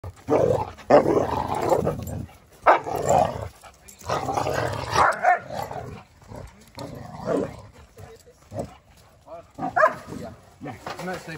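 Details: Dogs at home: Odin, a German Shepherd, and Samson, a Boxer, facing off. Dense, rough growling and barking runs almost without pause, in loud overlapping bursts that fade briefly near the end.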